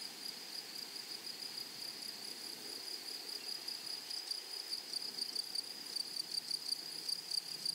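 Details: Grasshoppers singing in a flowery meadow: a thin, high, continuous ringing tone with faint rapid pulsing, growing a little stronger toward the end, over soft steady hiss.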